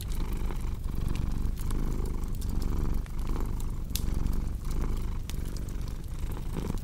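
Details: ["A cat's deep, buzzing purr pulses in regular breath cycles under a steady scatter of crackles and pops from a fireplace, with one louder snap midway."]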